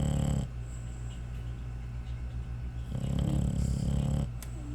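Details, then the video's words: American Bully dog snoring, a pet at home: low rumbling breaths with louder drawn-out snores near the start and again from about three to four seconds, steady low hum between. "SNORING AMERICAN BULLY"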